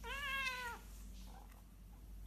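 A Persian cat gives one drawn-out, angry meow that rises slightly and then sags at the end.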